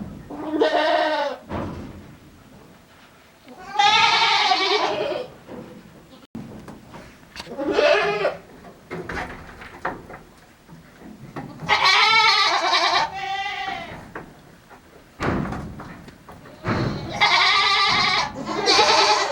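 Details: Male goat on a handmade goat farm in Japan, recorded 7 December 2022, bleating in a strange voice: loud, wavering, harmonic-rich bleats about a second long, repeated in bursts with short quiet gaps between.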